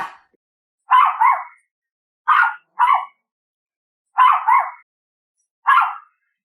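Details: Chihuahua barking: high, sharp yaps in pairs and singles, each burst short and bright, about six barks spaced roughly one to two seconds apart against silence.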